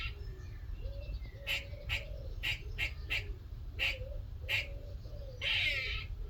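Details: Small squirrel visiting a workshop in the morning, chattering: a run of short sharp clicky chips at irregular intervals over low steady hum, ending in a harsh buzzy rasp lasting about half a second.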